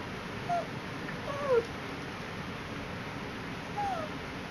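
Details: Poodle on a picnic outing at Tai Lam Country Park whining three times: thin, tonal notes that dip downward, spaced about a second or more apart, against a constant low outdoor hiss.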